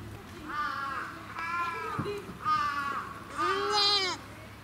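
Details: Goat kids at a farm on the Bandai Plateau, Japan, during hands-on petting: several quavering bleats run together, with the last one loudest and rising, plus faint voices in the background.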